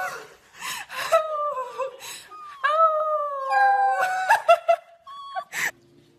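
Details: Pembroke Welsh Corgi puppies giving long wavering howls and whines, tonal and sliding in pitch, some notes held for over a second, mixed with short yips and brief rustling.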